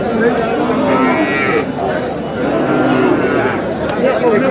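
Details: At the Aftabganj cattle market, a lean cow gives a short, throaty moo early on. Constant crowd noise and men talking prices fill the rest of the recording.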